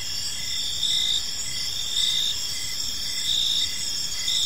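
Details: Crickets chirping on an evening in a peaceful park: steady high trilling bands with short chirps pulsing roughly once a second, several callers overlapping into a continuous shimmering drone, with faint low background rumble.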